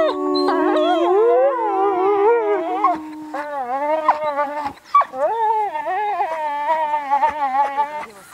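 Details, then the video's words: Wolves in a loud group howl, long drawn tones that bend upward and dip, several voices layered, one steady low howl fading after three seconds while higher wavering howls continue with short yips. "Howling with Wolves"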